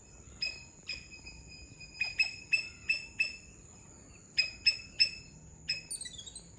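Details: A Sri Lankan palm squirrel in Sri Lanka calls with sharp, bright chip notes, singly and in quick runs of three or four, over a thin, constant high-pitched whine, likely insects.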